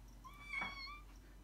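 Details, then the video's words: Indoor pet cat, a Maine Coon or Ragdoll, meowing while wanting to go out and play: a single clear harmonic meow that rises and then falls, lasting about a second, against a quiet room. "Maine Coon and Ragdoll CATS wants to go out and play"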